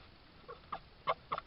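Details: Red fox filmed by a garden trail camera in Suffolk over 19–20 July 2022; four short, bright yelping or chirping bursts with a brief nasal edge, spaced a few tenths of a second apart over quiet background.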